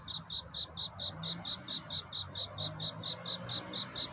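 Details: Cricket singing at night to find a mate: a steady series of short, high, ringing chirps, about three per second, over a soft low background hum.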